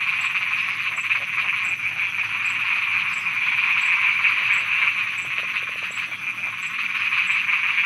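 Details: Frogs croaking at night in Thailand: a dense, steady high chorus runs throughout, with short low croaks and clicking pulses scattered irregularly over it, plus faint regular high ticks in the background.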